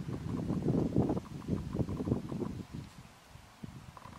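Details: Rutting red deer at Tatton Park in October 2015, captured with a Canon 70d and Sigma 150-600mm lens: low, throaty grunting bursts in a rapid run that weaken and trail off toward the end.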